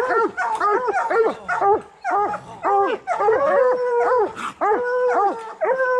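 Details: Raccoon-hunting training for coonhounds, bluetick and black and tan: quick arched bawls roughly twice a second give way to longer steady drawn-out howls near the middle and end.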